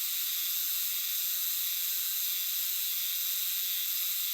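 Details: Hime-harusemi cicadas, Euterpnosia chibensis, in a massed chorus in a dim shrine or temple woodland in Japan; an unbroken, loud, high hissing drone with no pauses.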